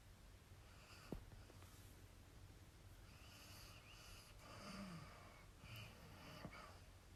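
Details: Leela, a female dog, snoring away with her tongue out and twitching while dreaming indoors; soft, low, snuffling snores and breathy snorts, with a short sniff near the middle and a steady low room hum underneath.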